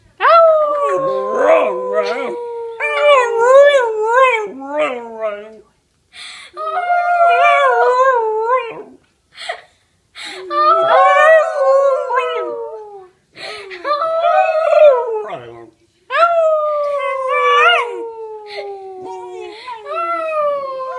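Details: Keisha, a pet dog, howling along with a police siren indoors: long wavering howls sliding downward, repeated in bouts every few seconds, with a thin falling siren tone underneath and a person's voice between.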